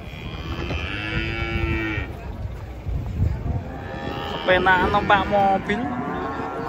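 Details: Big cattle arriving by truck in the morning, stepping down to the ground. A sustained low moo at about one to two seconds is followed by louder, rising-and-falling bellowing bursts over background rumble.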